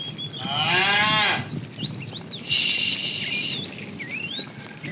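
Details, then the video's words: A tame cow wandering along a road in search of food gives a moo of about one second, wavering slightly, followed by a burst of hissing noise and chirping birds in the background. "Funny cow sounds"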